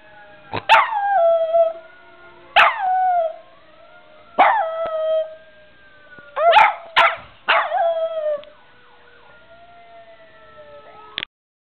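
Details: Chocolate, a pet dog, reacting to passing fire truck sirens with a run of howls, each opening with a sharp yelp and then falling into a wavering, descending wail, repeated about every two seconds, with faint siren tones behind.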